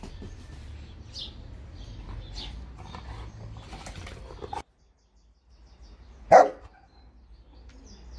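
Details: Bernese Mountain Dog, one of a household pair (Olly, aged 2, and Albert, aged 9), gives a single loud, sharp bark near the end, after quiet chirping of small birds and a brief silence.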